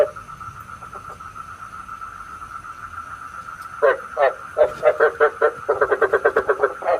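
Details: Frogs croaking, recorded as bait sound for night trapping with a bagua trap; near-silence with a thin steady tone for nearly four seconds, then irregular short croaks quicken into a rapid pulsing series.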